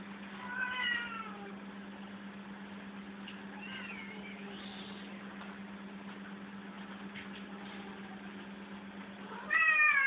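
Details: Cats playing in a room give three meows: a short one early, a longer wavering one in the middle, and a louder, rising cry at the end. A steady low hum runs underneath, with faint clicks between the calls.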